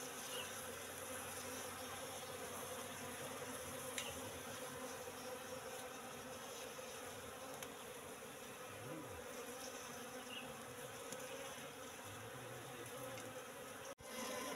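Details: Wild Apis cerana colony in a three-month-old trap box during an inspection for honey, producing a sustained buzzing drone, with a short low rising sound near the middle and a click near the end.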